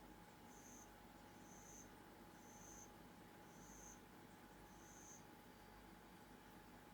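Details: Pet bell crickets, raised indoors, singing in the dark: faint, short high chirps repeated about once a second over a steady hum and hiss.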